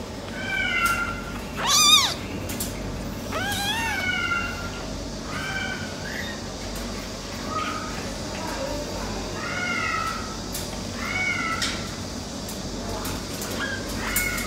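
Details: American Shorthair silver tabby kitten brothers giving a string of soft, short meows and squeaks scattered through the recording, one louder cry near the start, with faint background noise and possible voices.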